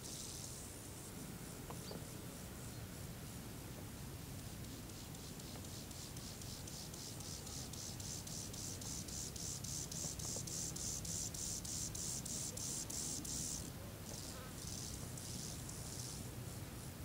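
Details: Alpine lesser grasshopper (Chorthippus mollis ignifer) calling song: high, dry, rapidly repeated pulses swelling into a dense buzzing phrase; recorded 10 August 2019 at Elvas, Alto Adige, Italy.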